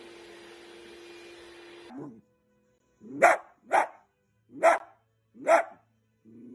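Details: Playful Dachshund, the wiener dog, barking four times in about two and a half seconds, each bark short and sharp, after a burst of music and background noise that cuts off abruptly.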